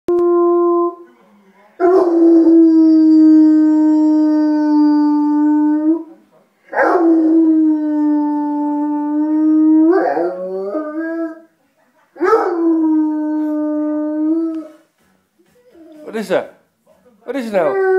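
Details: Dogo Argentino howling, described as in love: long steady howls with rich harmonics, each lasting about four seconds, repeated with short pauses, the later ones breaking into wavering, yelping notes.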